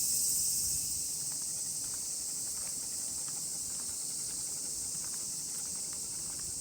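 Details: Numerous cicadas fill the air with a high, even buzzing drone, one voice briefly louder and brighter at the start, while a miniature pinscher is walked; faint steps click beneath.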